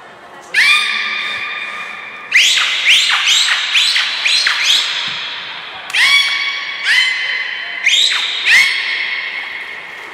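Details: Captive belugas in training at Port of Nagoya Public Aquarium, 1 December 2019, named Hodoi, Gray and Mirai; loud harmonic squeals with sharp rising starts come in bursts every second or two, echoing indoors.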